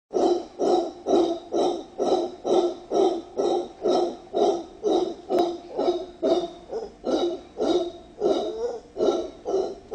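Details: Two wild mantled howler monkeys (Alouatta palliata), one howling, in Cerro Blanco Protected Forest, Guayas, Ecuador; the monkey gives a rhythmic series of deep, guttural, hooting roars, about two each second.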